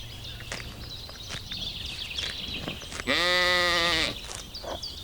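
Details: Little lambs feeding in green woodland; after a stretch of scattered bird chirps and clicks, a loud, strongly harmonic, slightly wavering bleat lasts about a second before fading back to background.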